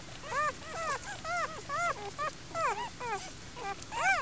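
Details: Litter of German Shepherd puppies born outdoors in a den beneath a mattress frame, first-time mother nearby; a steady run of high, bending whimpers, roughly ten cries, overlapping and uneven, with a person's brief speech.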